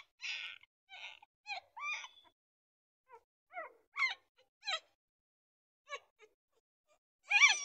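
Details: Puppy giving a run of short, high, squeaky yelps and whimpers, each note quickly rising or falling, in small bursts separated by brief silences, ending with a louder, fuller squeal.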